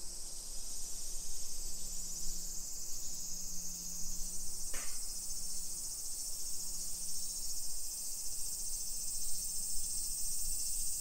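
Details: Summer cicadas give a steady, high shimmering hiss in a modern hillside residential suburb of Nisshin, near Nagoya, Aichi, Japan, at 1 PM on 28 July 2021, with low traffic rumble and a single sharp click.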